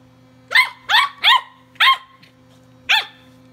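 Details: Walter the tri-color Welsh Corgi pup barking at a Sonicare toothbrush during play; three rapid shrill barks, then one more and a final bark after a gap, with a steady hum in the background.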